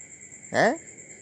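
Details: An orange Thai stray cat visiting late at night to eat fish or fried squid mixed with rice gives a single short meow that falls in pitch, over a steady background hum.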